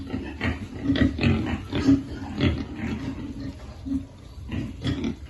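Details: Feeding piglets grunt low and nasally in uneven bursts, some quick pairs and some brief pauses, close and clear with no other sounds.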